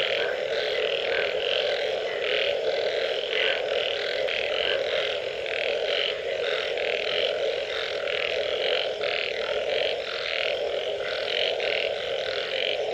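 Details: After rain, a dense frog chorus gives a steady droning hum under quick, rattling pulses repeated over and over.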